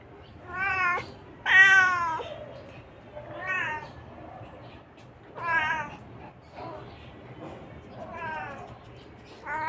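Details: Talkative Siamese cat 'talking' in a chatty run of about seven meows, each a second or two apart, some short and some long and wavering, with quiet gaps between them.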